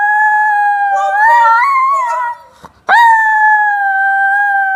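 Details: Diva, a female Chinese Crested Powderpuff aged three turning four, howls indoors in the morning on the Gold Coast, Australia: long steady tonal howls that waver and slide in pitch, broken by a short pause, then a sustained level note.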